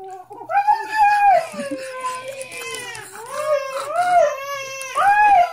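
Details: Husky talking at home, a drawn-out wavering woo that rises, dips and rises again in smooth arcs, repeating the rising swell three times over about five seconds.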